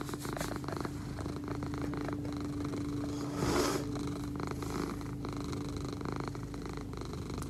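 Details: Egyptian Mau named Leo, a pet cat, purring steadily with a low continuous rumble throughout; a steady mid-pitched hum runs alongside, and a brief louder rustle breaks in midway.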